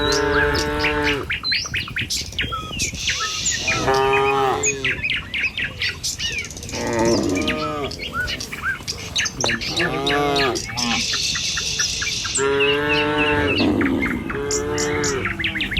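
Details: ['A herd of tame cattle in the morning, heading along a village road toward a field to graze: frequent overlapping moos from several animals, some rising and some falling, with scattered chirping birds in the background.']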